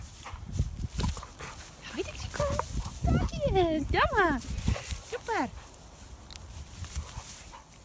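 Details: A pit bull on an individual walk gives several short, high, whining yelps with sharply sliding pitch, bunched near the middle, amid rustling, handling noise and nearby human voices.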